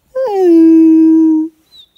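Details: Wolf howl from a pack being called in at a high mountain lake, the animals about 50 yards off and closing to 10: one loud, steady, mid-pitched note lasting over a second, rising briefly at the start and then holding flat before cutting off.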